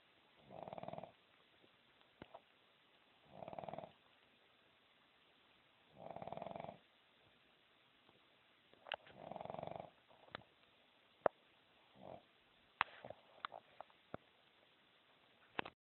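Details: A dog asleep and snoring. Five or six low, throaty, rasping breaths come about every three seconds, with a few sharp clicks and taps in the quiet gaps.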